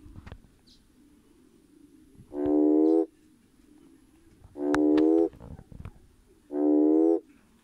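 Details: Schismaderma carens, the red toad, calling for potential mates; three deep, buzzy, humming croaks roughly 0.7 seconds each, evenly steady in pitch and loudness, repeated about every two seconds against a quiet background.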